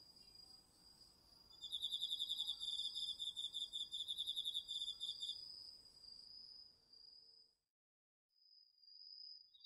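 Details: Crickets and other autumn insects chorusing at night in a home garden vegetable plot, recorded on a DR-40X. Several rapid pulsed high trills stack over a steady shrill hum for about four seconds, then fade, leaving the thin hum with a brief silent gap.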